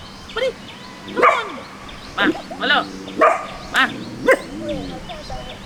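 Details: Young puppy that has begun barking indiscriminately, during a dog-training session: about eight short, sharp yappy barks at irregular intervals over several seconds, with a man talking and a low steady hum behind.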